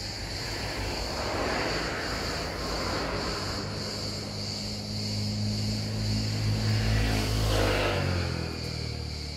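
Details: Cicada buzz held at a constant high pitch, a thin sustained whine above a loud low engine-like drone that swells toward the end, possibly a passing vehicle or aircraft.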